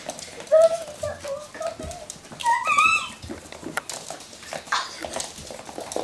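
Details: Playing Russian Toy pups let out thin, high whining tones that slide up and down, a short run early then a sharper rising squeal, with soft talking and scuffling in a small room.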